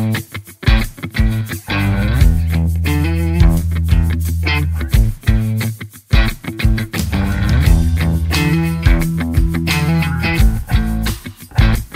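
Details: Rock music with guitar and heavy bass plays from start to end, and no animal sound is heard.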